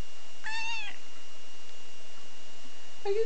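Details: Domestic cat waking up, yawning and stretching indoors, recorded 18 December 2011: one clear harmonic meow with a slight rise then fall lasting about half a second, followed by a short second call at the end; a woman speaks softly nearby.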